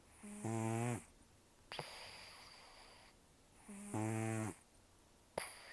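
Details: Sleeping rescued senior cat Taro, about 10 to 14 years old with almost no teeth, snores roughly: two loud buzzy, rattling inhalations, each followed by a long breathy wheeze through the nose.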